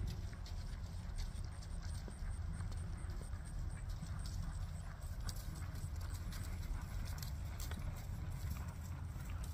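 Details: Friesian mare under a rider, her steps heard as a run of quick, dull knocking clip-clops throughout, muffled beneath a loud, unbroken deep rumble.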